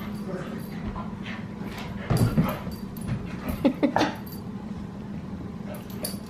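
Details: Australian Cattle Dog puppy Sully playing indoors at bedtime with the family's female dogs: low grumbling growls and short whiny yips in clusters around the middle, over a steady room hum.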